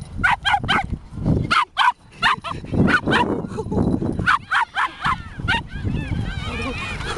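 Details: A Border Terrier named Chip yaps repeatedly while playing with a fallen twig at Kasai Seaside Park. Around fifteen short, bright barks come in rapid bursts, and the sequence ends with thin whiny tones that rise and fall.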